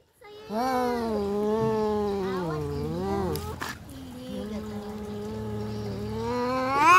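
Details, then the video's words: Domestic cats fighting: a long, low, sustained moaning yowl that wavers and bends in pitch, briefly interrupted by a sharp noise burst, then continues and swells at the end. "kucing berantem"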